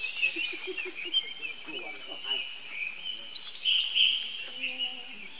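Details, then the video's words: Baby monkey crying out for help from its older brother, a steady stream of thin, high-pitched squealing screams with small pitch wobbles, over soft low chattering and background noise. "Heard Young Bro Call To Help, Lovely Baby Monkey"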